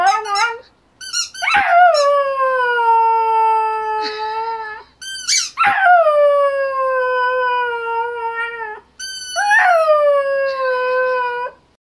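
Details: Border Terrier howling indoors: three long, loud, harmonic howls, each opening with a sharp rising yelp before sliding down and holding a steady falling tone for several seconds, separated by brief pauses and short yips.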